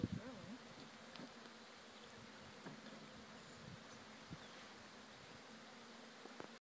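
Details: Honey bee swarm that came from one of a farm's hives, being gently moved at Friendly Haven Rise Farm; a steady, low droning hum runs throughout, broken by a few soft knocks and handling clicks.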